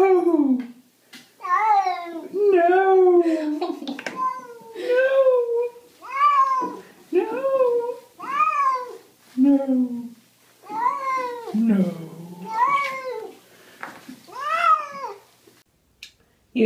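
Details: House cat protesting a bath in water, giving a long series of loud, arching meows, each rising and falling, roughly one per second, with short pauses between; indoor room, little else heard.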